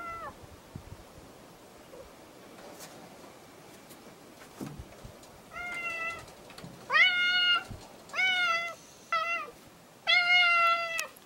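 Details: Half-feral stray cat answering when called: faint meows at first, then five loud, clear harmonic meows in close succession, some short and some drawn out with a slight fall, over a quiet background.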